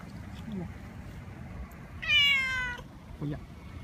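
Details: Tomcat in heat, rubbing hard, utters one clear, loud, descending meow lasting under a second, with quiet room noise before and after.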